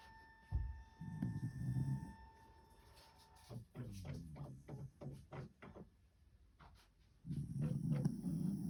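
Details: A white Shiba Inu, still sleepy, snoring: low rumbling breaths in two long drawn-out bursts at start and end, with a run of short soft snorts and clicks between them.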